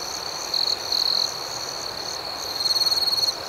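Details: Night cricket chorus outdoors with brief buzzy trills early, then a rapidly pulsed louder trill near the end, all over a constant high-pitched chirping drone.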